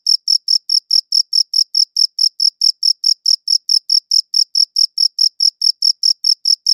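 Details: High, pure cricket chirps repeating quickly and evenly, around four each second, with nothing else audible; recorded on a good audio recorder.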